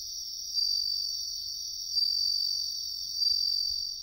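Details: Wild bell cricket in riverbank woodland, a clear high ringing song with brighter bell-like notes recurring about every 1.3 seconds over a steady trilled background, otherwise quiet.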